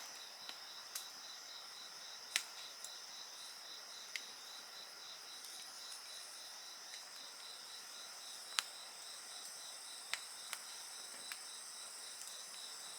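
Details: Insects trilling without pause near a crackling bonfire, a continuous high-pitched ringing with a rapid beaded pulse, broken by scattered snaps of burning wood roughly every second or two.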